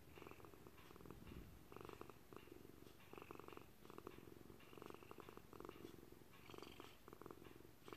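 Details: Purring from Thunder, an FIV-positive senior Maltese cat, as he kneads; rhythmic low vibrating rumble in repeated bursts roughly each second, alternating breaths clearly audible, with soft room ambience and faint traffic behind.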